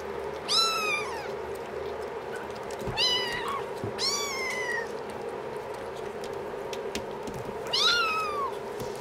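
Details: Young kittens, five weeks old, filmed 7 March 2010, calling with four clear high-pitched mews that sweep up and drop away, separated by gaps of a few seconds, with faint clicks and a constant background hum.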